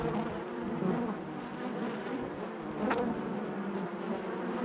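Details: Honey bees buzzing inside their hive: a dense, steady drone with harmonic bands, loudest at the low pitch, a continuous hum with small swells and one brief brighter flick near the end.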